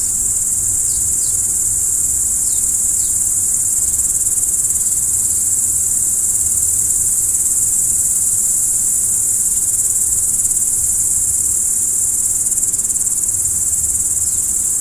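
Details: At night, crickets keep up an even, high, ringing trill. A few quick downward chirps appear early on, and a dull low-frequency hum lies beneath the chorus.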